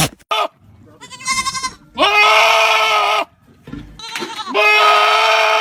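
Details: Goat (Capra hircus), bleat.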